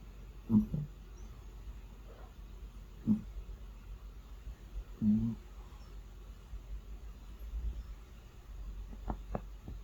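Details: Low, rough snores from a sleeping cat arrive irregularly, three clear breathy bursts in the first half, followed by faint clicks and rustling near the end.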